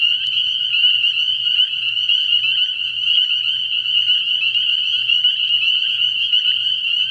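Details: Early-year night at a frog pond, where countless spring peepers call together in a continuous shrill, bell-like trill, while a low pulsing drone comes and goes in short bursts below.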